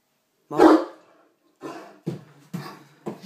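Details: Pet male Great Dane indoors, playfully barking before destroying a box: one loud harsh bark followed by three softer, shorter woofs at roughly half-second gaps in a small room.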